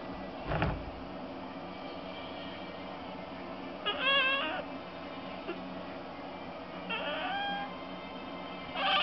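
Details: Kitten Chibi persistently pestering its sleepy older brother cat Chato, an orange tabby; three short harmonic meows near four, seven and nine seconds, a soft thump near the start, steady low indoor hum beneath.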